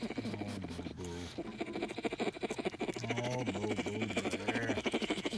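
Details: Baby bear suckling its paw on the way to sleep, making two low droning hums, each steady then dipping, accompanied by fast, regular wet sucking sounds.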